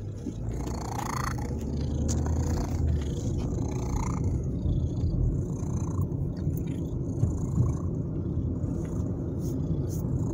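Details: A male pet cat purring loudly and continuously during a car ride he enjoys. A deep, even rumble fills the recording, with one brief rising whine near the start and faint clicks from inside the vehicle.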